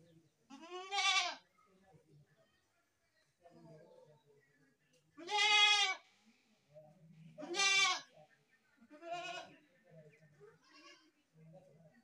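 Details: Goat bleating repeatedly, four or five wavering nasal cries spaced a couple of seconds apart, each loud and quavering, with faint murmuring voices in the gaps.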